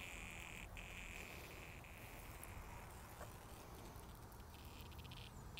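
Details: Cicadas found on sidewalks, 2020: an even, sustained buzz with a thin higher whine over it, fading out after about three seconds, leaving only low rumbling noise.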